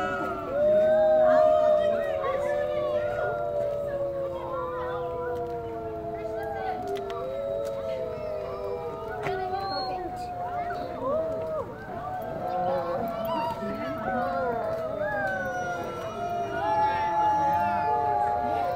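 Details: Woodland Park Zoo wolf pack in a sustained group howl, many overlapping long tones gliding up and down, voices entering and dropping out over nearly twenty seconds.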